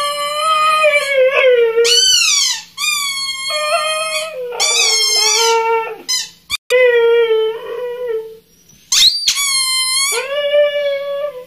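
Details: A female Siberian Husky gives long, wavering, high whining cries that rise and fall in a howl-like moan after hearing her squeaky toy ball squeak; she dislikes squeaky things and treats the ball as if alive.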